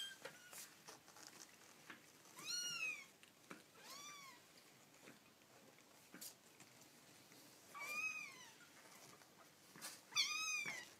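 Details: Baby kittens making cute noises: high, arching meows that rise then fall, four clear calls spaced a few seconds apart, some doubled, with soft clicks and taps between them in a quiet room.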